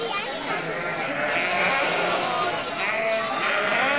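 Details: Sheep bleat amid a flock of nearly 1,000 sheep, lambs and goats driven through the historic market centre of Mörnsheim, Altmühltal Nature Park, in May 2012. Overlapping wavering bleats sound against steady crowd chatter.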